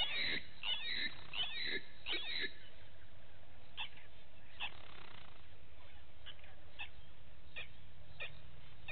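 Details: Vervet monkeys spending the morning at Gowrie dam waterhole, Djuma Game Reserve, Sabi Sand Wildtuin, South Africa, heard via a live waterhole camera: a quick run of high, arching, squeal-like calls, then scattered short clicks over a steady low hum.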